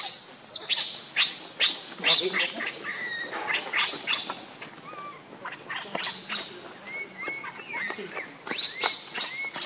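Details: Hungry baby monkey Leo crying for its mother's milk: shrill, high-pitched squeals and screeches repeat rapidly throughout, loud and insistent, with a few thinner whistled notes between bursts.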